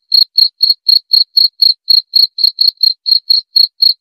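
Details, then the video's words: A cricket gives a quick, regular series of high, sharp chirps, about four each second, with no other sound. It is played to calm the mind before sleep and to repel rats. "Suara Jangkrik"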